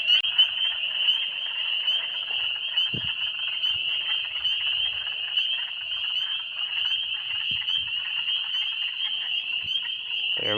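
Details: A dense night chorus of spring peepers in early spring, 2022, their high, piercing peeps merging into one continuous shrill ring; calling on a road night alongside other frogs.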